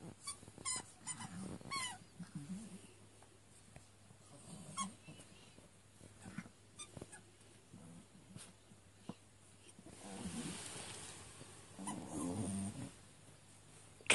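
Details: Early-morning play among three small dogs, one Yorkshire Terrier called Lenny and two Chihuahuas, all completely wound up: scattered quiet whimpers, then bursts of low rumbling growls near the end amid scuffling and breathing indoors.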